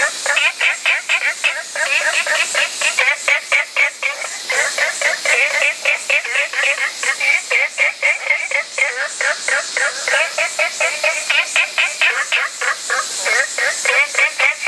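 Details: Olive frogs in a dense, continuous chorus of overlapping short, twangy notes that run together with almost no gaps, backed by a constant high-pitched hiss.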